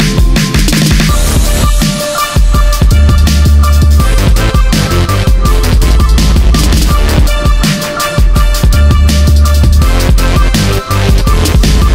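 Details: Loud electronic drum and bass music with heavy bass and dense beats fills the whole recording, and no animal sounds are heard.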